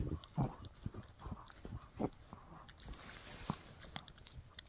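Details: A Shih Tzu puppy named Mikki gnawing a no-hide bully stick inside a small room: irregular crunchy bites and clicking teeth, a few louder snaps among softer gnawing.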